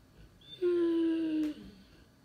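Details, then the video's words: Cane Corso dog named Loki, searching for his missing toy indoors in a small room: one drawn-out, slightly falling tonal whine lasting about a second, rich in harmonics, against a quiet background. "Lord Loki Cane Corso — Where is my toy??"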